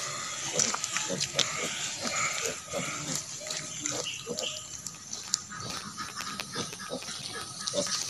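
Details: Native pig sow with her piglets on a farm, left to develop natural mothering: soft, short grunts scattered through the clip, mixed with faint human speech and background hiss.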